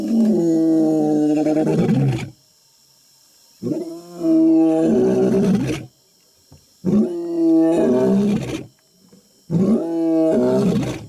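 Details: Large lion up close, roaring and making odd noises: four long, loud, harmonic-rich groaning roars, each about two seconds, separated by short silent gaps.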